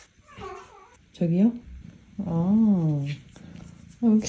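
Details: Pet cat indoors at home: three meows, a short rising one, a long wavering drawn-out meow, then a brief final one, with a woman talking softly between them.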